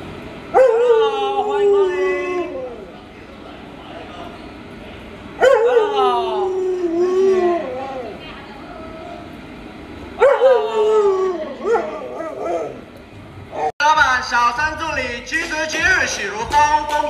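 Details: Luoluo, a pet Alaskan Malamute, gives loud drawn-out wavering vocal calls that slide downward, three of them about five seconds apart, before music and a voice take over near the end.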